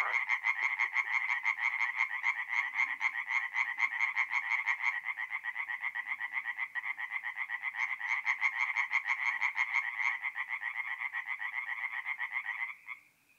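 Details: Tree frogs singing at night in a forest pond in north-east Italy in mid-April: a dense chorus of rapid, rattling croaks pulsing several times a second, overlapping callers keeping up a steady wall of sound before stopping abruptly near the end.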